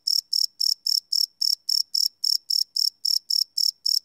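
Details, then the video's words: Crickets chirping at night, recorded live without loops on a Sony PCM D100 field recorder: a single loud, high-pitched chirp pulses steadily about four times a second, each burst crisp and evenly spaced against a silent background. "Cricket Chirp Sound - Cricket Sounds at Night"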